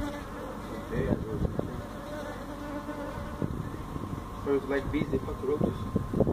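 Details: Feral honey bees from a hive built inside a tractor tire, in a tire stack at a citrus orchard in Mission, Texas, during hive removal: a steady low droning buzz with overtones, broken by knocks and thumps from the work.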